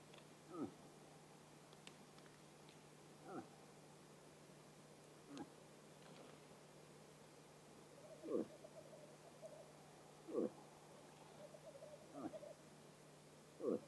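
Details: A bull moose in rut gives short, deep grunts every two seconds or so in autumn in Vest-Telemark, Norway.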